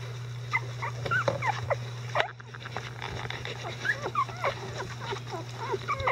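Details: Eleven-day-old Icelandic Sheepdog puppies, newly mobile and vocal, whimper in the care of their mother Gaela and her grandparents: a busy run of short, high, wavering squeaks and whines, many overlapping, over a steady low electrical hum.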